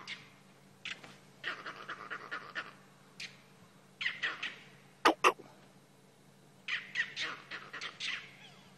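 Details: At sunrise in Sabi Sand on 17 July 2016, furious monkeys in a jackalberry tree alarm-call at a nearby leopard. Harsh chattering bursts come in irregular clusters, with two sharp cracks midway and a low steady hum underneath.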